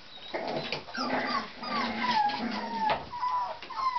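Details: Tibetan Terrier puppies born on October 23 give high, thin whimpers and whines, several sliding tonal cries overlapping in quick succession with soft yips beneath, ending in a sharp click.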